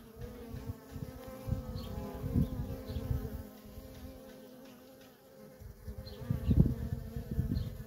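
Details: Feral colony of honey bees with worker traffic: a droning buzz under heavy low rumbling and bursts of loud close wingbeats that rise and fall over several seconds.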